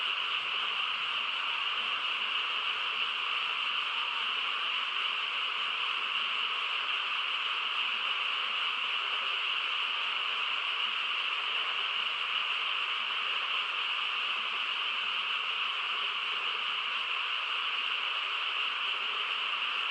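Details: Quiet countryside at night filled with a massed frog chorus, a thick continuous trilling drone lasting twenty seconds without letup or change in loudness, no other noises apparent.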